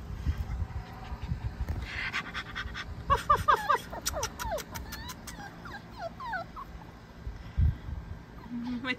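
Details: Star, a female Basenji-Sheltie cross puppy, produces 'Basenji talk' near the stairs: after a woman's cooing voice, a burst of rapid yodel-like chirps and warbling squeaks rising and falling in quick succession, then quieter whines and rustling.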